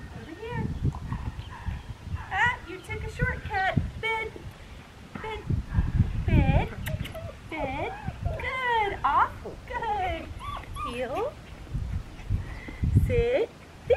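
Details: Seven-and-a-half-week-old black tri female Australian Shepherd puppy in Talala, Oklahoma, April 19, 2022, called super submissive: repeated high, bending whimpers and yelps in quick clusters over a man's voice and outdoor handling noise.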